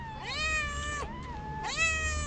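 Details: Hungry feral cat on a sidewalk meowing loudly for food; two long, strong meows rising then falling, the second starting after a short gap, with faint outdoor background.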